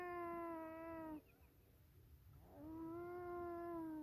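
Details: Swimming beavers, not upset by a person nearby, calling to each other: a steady harmonic whine lasting just over a second, a quiet gap, then a longer, even whine that slowly rises and falls, over faint background rumble.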